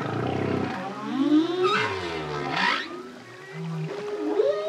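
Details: Solo male humpback whale song: a low buzzing moan that slides into upward-bending whooping tones and brief airy bursts, ending in a thin rising squeal.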